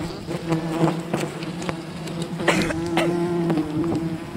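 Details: Honey hunting at a wild bee colony, many bees buzzing in a steady drone, one close bee's whine rising and falling briefly, sharp clicks and crackles of handling mixed in.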